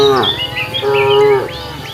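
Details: Cows walking along a road in search of food; two steady, level moos, the first short and falling away, the second held for about half a second, over faint high chirping and a low pulsing background.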